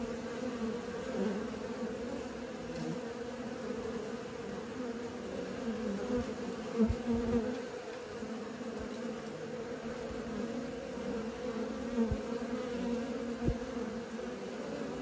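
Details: Honey bees learning to fly, a steady droning buzz of many wingbeats with strong bands near 250 and 500 and a few brief louder swells, continuous for the whole stretch.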